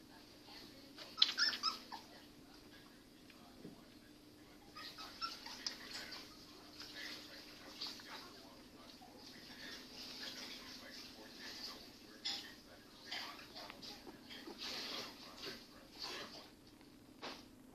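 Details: Soft, high-pitched whimpers and squeaks come in quick irregular bursts from a Pembroke Welsh Corgi mother's first litter of puppies.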